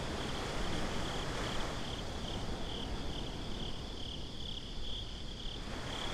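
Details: Nighttime beach crickets in binaural recording, their thin high chirps pulsing rapidly and evenly above a constant roar of waves and wind noise, with the trill briefly softening midway.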